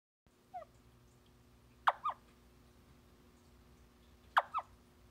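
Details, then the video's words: Male Theloderma corticale calling while standing guard over eggs laid by an amplexed pair: a soft early chirp, then two sharp double-noted clicky calls about two and a half seconds apart, over a steady low hum. "Theloderma corticale males calling with eggs"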